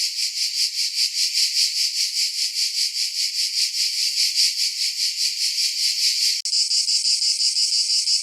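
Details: Cicada singing a shrill, high-pitched buzz that swells and fades in a steady pulse about once per second, with a sudden splice near the end; no low sounds beneath it.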